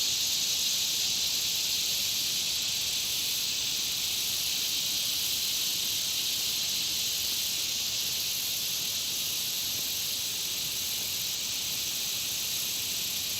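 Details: Around a country pond, a thick wall of insect calls forms a steady high-pitched buzzing hiss with a faint thin overtone, unchanging throughout with no other noticeable sounds.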